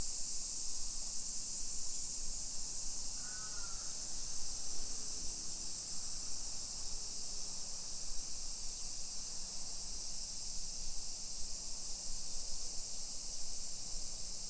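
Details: Cicadas singing in summer along suburban streets in Nisshin, Aichi Prefecture, Japan, early afternoon in late July 2021: a constant shrill buzzing hiss, with a brief wavering bird call near the start and a low steady hum beneath.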